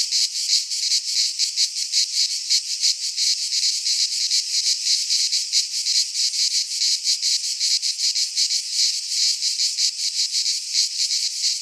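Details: In a pine forest in Greece during midsummer, a chorus of cicadas buzzes loudly and without pause, a high rasping drone beating in rapid throbs.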